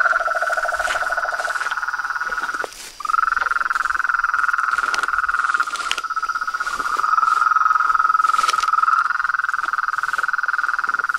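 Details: Frogs, toads and tree frogs calling at dusk from a reservoir pond in front of a veranda: a lower pulsed rattle and a higher continuous trill, a brief pause near three seconds, then the trilling resumes strongly with scattered clicks.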